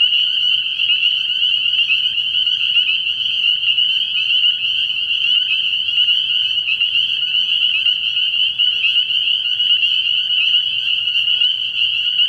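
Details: Night at a frog pond early in the year, where a massed chorus of spring peepers keeps up a loud, steady, piercing trill of countless overlapping high peeps, unchanging throughout.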